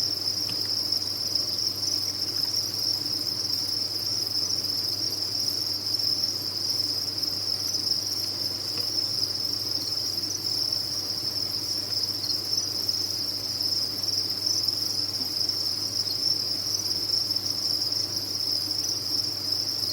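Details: Many crickets at a cricket farm keeping up a seamless high-pitched chirping din, steady in loudness and pitch, accompanied by a quiet low-frequency hum.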